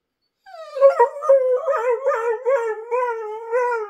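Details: Border Collie "talking" back with a continuous wavering, howl-like moan. The tone rises and falls in quick warbles for over three seconds, like a sung conversation, with no other clear sounds.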